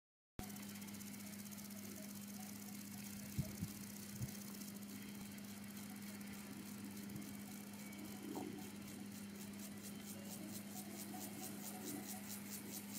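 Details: Siberian grasshopper (Gomphocerus sibiricus) singing at Zollner Alm on 27 July 2017 amid cowbell ringing: from about four seconds in, a long run of rapid, evenly spaced high ticking pulses, growing clearer, over a steady low hum.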